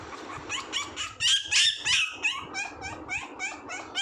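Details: Puppy giving a rapid run of short, high, squeaky yips and whines, roughly three per second, with a louder, shriller cluster in the middle before the calls soften again.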